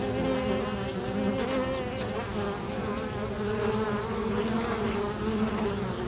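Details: Busy bees at a local bee box hum in a continuous low buzz that wavers as they move, with a rapid, regular, high-pitched pulsing chirp running steadily behind.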